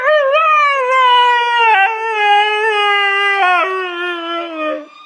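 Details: Tifa the dog holds one sustained, clear howl for about five seconds, gently dropping in pitch, with a few slight wobbles and small breaks.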